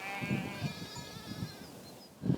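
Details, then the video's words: Lambs only a few days old, the last born in a flock grazing a Corsican summer mountain pasture around 1800 m, bleat in short, wavering bursts a few seconds apart over a soft outdoor hiss. "Et là, tu entends les derniers agneaux qui sont nés."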